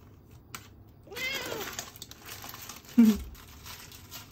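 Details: Dal, a Siamese cat, begging for food while its owner tidies the kitchen; one drawn-out rising then falling meow, followed by a short low squeak and a sharp knock from kitchen activity.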